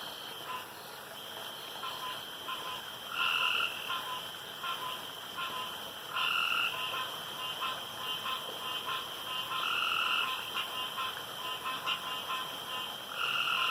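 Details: Frogs calling around a pond after dark, with short paired croaks arriving every three seconds or so over a steady high ringing hum from other night callers.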